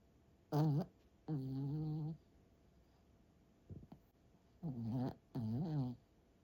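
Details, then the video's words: Sleeping dog snoring loudly, said to sound like a tank rumbling in: five deep, droning, groaning snores lasting about half a second to a second each, with a brief faint snuffle between them in a quiet room. "강아지 코골이"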